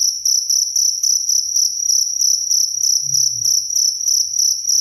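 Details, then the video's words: Loud clear cricket song offered as songbird tutoring and sleep sound; evenly spaced shrill chirps a few per second on a high ringing note, a brief low thud near the end. "SUARA JANGKRIK SUPER JERNIH"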